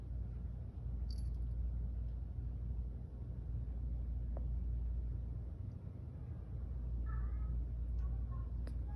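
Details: Garfy, a sleepy female pet cat, purring while yawning; a steady low rumbling purr fills the whole recording, with a few faint high chirping tones near the end.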